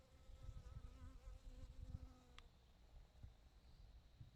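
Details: A honey bee collecting nectar and pollen gives a low, droning buzz that wavers in pitch as it moves close to the microphone.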